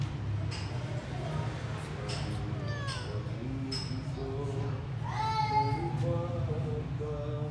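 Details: Stray grey kitten found in a yard on 26 January 2024, possibly abandoned or lost, wanting into the house: a few high, falling meows, one long drawn-out cry near the end, mixed with human talk and a steady low hum.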